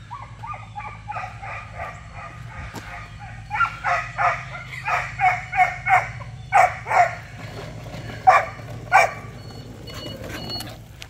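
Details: Tux, a Giant Schnauzer pup, barks during his first attempt at ratting, chasing a rat in morning exercise: sharp harmonic barks repeated roughly every half second in a run of about a dozen, with low rumbling background noise.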